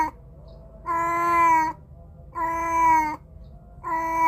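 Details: Cat giving two long, steady meows with a third beginning at the end, each tonal and slightly falling, spaced about 1.5 seconds apart; recorded with a Samsung A53 phone microphone, low hum in gaps.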